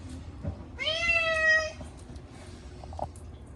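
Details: During a rare bath, his first in a year, the Munchkin cat Chacha lets out a single long, loud wail that sweeps up briefly then holds level, followed by faint splashes and handling noises.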